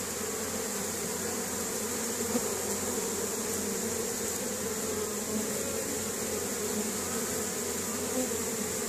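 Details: Continuous low hum of many honey bees at work outside their hive, hauling pollen home on a May day in Caribou, Nova Scotia, 2015, as the spring colony grows; the even, unbroken drone holds throughout.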